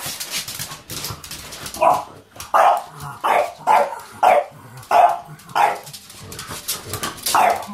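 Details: A pet French Bulldog barks repeatedly indoors, about seven loud mid-pitched barks spaced roughly every half to one second after a short pause, with a faint low household hum underneath.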